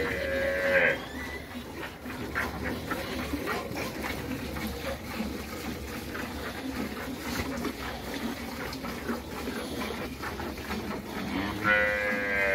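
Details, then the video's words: Dairy cows moo in two drawn-out, harmonic calls, one at the very start and one at the very end, with steady farmyard noise and scattered clatter in between. "mejores vacas lecheras"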